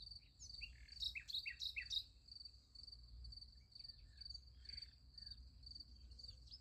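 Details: Crickets chirping at night near a sunflower field: a high, rapidly pulsed chirping continues throughout, overlaid early by a burst of quick repeated bird twitters, with low rumbling noise beneath.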